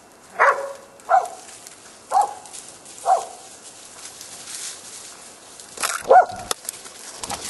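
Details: Korea Tri Hound during a wild boar hunt, barking at intervals of about a second. Each bark is short and tonal. A rustling burst is heard later, followed by one more bark.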